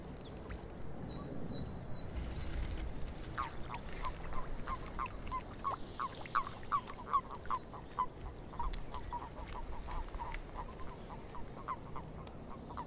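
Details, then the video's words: Frogs calling in a swamp, a run of short, clipped croaks repeating roughly every half second through the second half; a bird's quick descending whistled notes sound near the start over a low background hiss. "Frogs In The Swamp"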